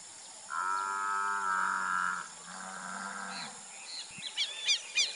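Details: Nelore beef cattle on a Brazilian cattle farm: one long, steady, harmonic moo for about two seconds, then a shorter second moo. Small birds chirp brightly near the end over a constant high hiss.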